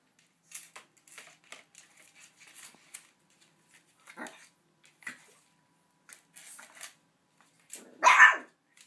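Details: Buddy, a small Boomer puppy, barks at a huge dog bone given to him as a gift. The bone is longer than he is. Indoors, soft scratchy rustles and faint taps lead to one loud, sharp, high yap near the end.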